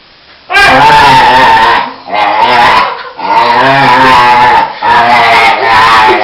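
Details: A male dog, excited as he always is just before being taken for a walk, gives drawn-out, warbling yowls and whines, each a second or more, bending in pitch like moaning speech, back-to-back with short breaths.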